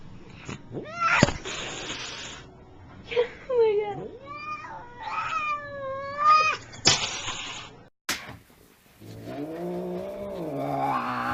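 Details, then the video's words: Angry fat cat warned about lunging, filmed indoors, lets out a series of wavering, rising and falling yowls and whining meows, with bursts of hissing between them; a person speaks, then a low moaning growl follows. "Angry Cats Meowing"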